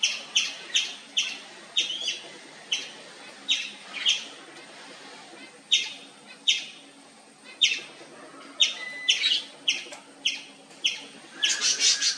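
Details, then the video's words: Indian palm squirrel, three-striped palm squirrel, calling nonstop: loud sharp chirps repeated roughly every half second to second, some doubled, with a burst of rapid chirps near the end; faint background hum. "Nonstop Loud Squirrel Chirping sound"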